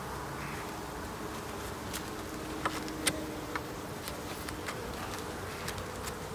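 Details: Honey bees at their hives during an end-of-summer inspection on 22 September: a steady low hum with faint tonal bands, scattered sharp clicks and ticks from handling the frames over the drone.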